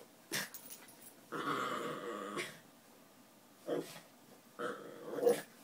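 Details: Miniature Pinschers playing indoors: bursts of low, rumbling play growls with whiny harmonic tones, each lasting about a second, separated by quiet gaps, with soft scuffling between.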